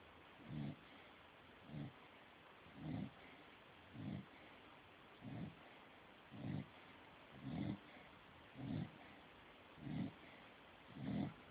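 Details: A sleeping dog snoring: low, rasping snores repeat at an even pace, roughly one every second, each a short rumbling breath against quiet background hiss.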